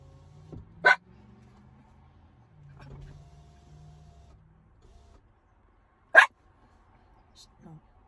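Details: Ginger, a miniature schnauzer waiting in the car, lets out two loud, short barks about five seconds apart, while a person's low voice murmurs in between.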